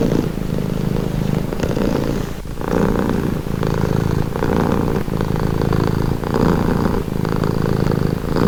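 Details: Cat purring in a relaxing recording, a deep buzzing rumble rising and falling with regular breaths, with a brief dip in loudness early on before the steady throb resumes.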